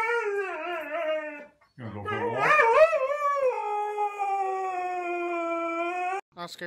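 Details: Siberian Husky howling in a 'talking' style: a wavering opening note drops away, then a warbling, bending howl rises and settles into a long steady tone held for about three seconds before cutting off.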